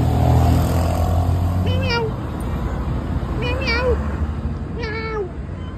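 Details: A talkative domestic cat answering its owner with three drawn-out wavering meows about 1.5 seconds apart, each bending up then down, over loud steady rumbling background noise like a running vehicle, after a man's brief Spanish remark about hunger.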